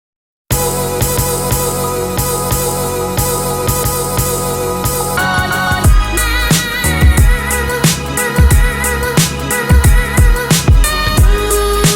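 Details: Music with a steady beat and sung vocals plays throughout, with no animal sound. Bass and percussion carry the track from start to finish.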